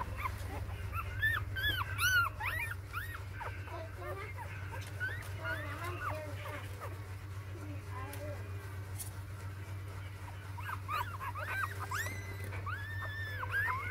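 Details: Six four-day-old newborn puppies whine and yelp in overlapping arched squeals, busy early on, quieter in the middle, then a fresh run of looping cries near the end, all over a continuous low hum.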